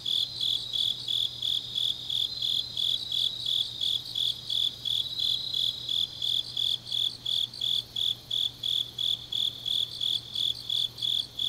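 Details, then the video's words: Autumn night chorus of grass insects recorded in Changnyeong, Gyeongnam, Korea, with high pulsed chirps repeating roughly three per second in an even rhythm, overlapped by softer shimmering insect trills. "깊은밤 가을 풀벌레 소리"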